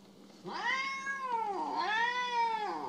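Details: Mo, a pet cat described as jealous and still mad at its owner, gives two drawn-out harmonic meows, each rising then falling, a quiet indoor hum behind them.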